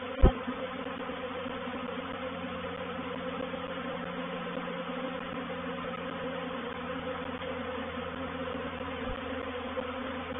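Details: A swarm of honey bees entering a bait hive at Painted Peacock Manor on 04/07/21 gives a steady layered hum with a low drone beneath, and a sharp knock near the start.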